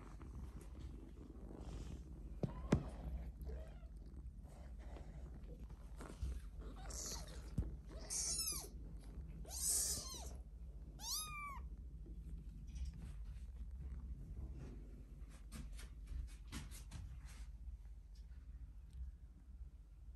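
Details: Tiny black British Longhair kittens, male littermates Vova and Vinny born March 13, 2021, meowing indoors: three high, arched, thin mews in quick succession midway, over steady soft purring and rustling handling noise.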